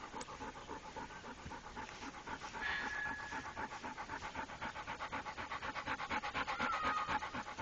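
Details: Steady rhythmic panting from the trained Pit Bull Rako, about four breaths per second and fairly loud, with two short thin whistling tones partway through.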